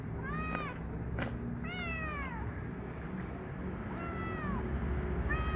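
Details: Brown kitten playing in its room gives a run of four arching meows, each rising then falling, some short and some drawn out, over a steady low background hum with a few soft clicks.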